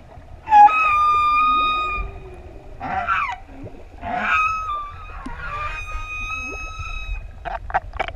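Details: Adult humpback whales, six in a group, singing as they approach swimmers off ʻEua, Tonga; rich harmonic tonal cries held for over a second, interspersed with grunting bursts and short pulsed notes, clear above quiet water.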